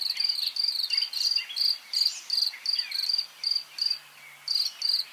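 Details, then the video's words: A few nearby crickets chirp steadily in short, high trilled pulses, about three a second, with distant birds singing, on a farm in eastern Pennsylvania after dinner in early May 2023. "Close crickets and distant birds sing on farm, cricket sounds"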